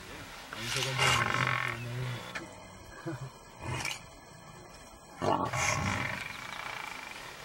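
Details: Lion battling buffalo lets out deep, buzzing roars with a strong low hum, in three main bursts separated by short pauses, over a noisy scuffle.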